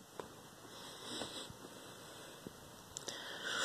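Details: Quiet indoor room with a steady electronic hum, a few soft taps and clicks, and no animal voices.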